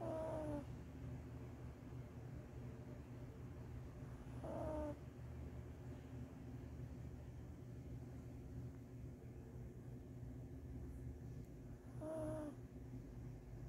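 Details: Maltese dog, ten years old, in a deep sleep after coming home from a seven-day hospital stay for surgery on a ruptured cruciate ligament in the right hind leg. It wears a fabric cone. Three short, harmonic, snorting snores come several seconds apart over a low steady hum.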